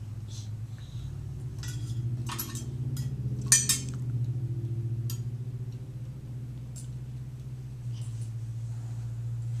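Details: Cookie, a sleepy female Chihuahua, growls at Jack, a Jack Russell that keeps annoying her while she tries to nap; a low, steady, rumbling growl runs unbroken through the whole recording, with metallic clinks and rustling in the first few seconds.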